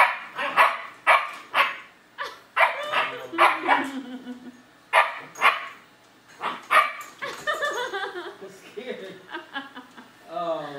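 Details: Frightened German Shepherd puppy confronting a robotic vacuum; a long run of loud, sharp barks in irregular bursts, some paired, mixed with a woman's excited, praising speech toward the end.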